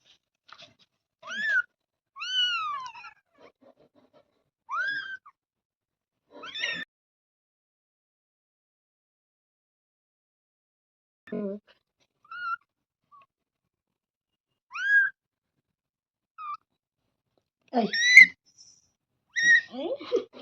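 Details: Kitten giving short, high, arched meows in scattered bursts, some pairs and some single calls, separated by quiet gaps of one to several seconds; louder, rougher meows cluster near the end.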